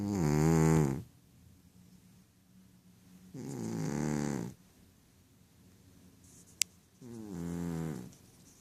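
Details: Sleeping Ragdoll cat named Rohan, a male, snoring while he dreams: three buzzy, nasal in-breath snores spaced roughly three seconds apart, with hushed pauses between and one brief tick.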